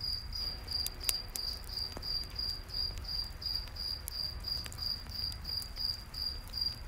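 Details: A cricket calls in a nighttime forest near a campfire, sending high, rhythmic chirps about three each second, broken by frequent sharp wood crackles and a gentle low rumble.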